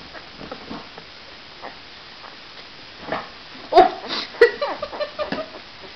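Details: Great Pyrenees puppy Romeo, a male with a heart-shaped mark on his head and one of three bottle-fed puppies, still hungry after a feeding indoors. Quiet rustling, then short high yips and whimpers clustered near the middle, with light handling noise.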